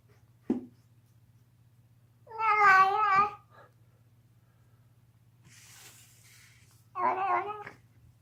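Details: A deaf domestic cat screams while gnawing on a bone indoors, giving two loud wavering harmonic yowls about a second long, plus a short sharp click and faint chewing noise in a small room.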